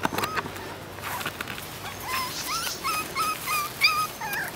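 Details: Toy Schnauzer puppies from a toy-size litter playing outdoors; high whiny whimpers and yips rising and falling in short repeated bursts, with a person's voice calling nearby.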